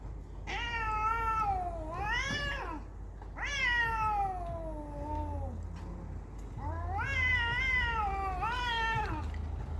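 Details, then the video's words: Fighting cats trade loud, drawn-out caterwauls, each wail swooping up then sliding down, about four long cries in steady succession with brief gaps. "Cat Fight"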